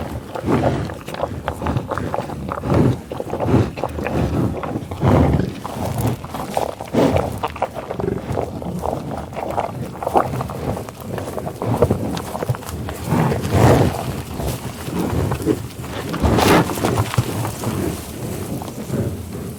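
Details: American bison feeding in tall grass prairie, with repeated low grunts, growls and sniffles over a long stretch, interspersed with rustling, chewing and occasional louder rumbling bursts.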